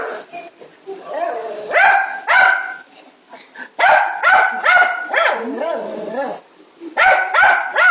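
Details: A grouchy Mastiff dances about heavily while voicing clusters of clipped, harmonic barks and grumbles, about two per second. Bending, whiny moans come between the clusters, with brief quiet gaps.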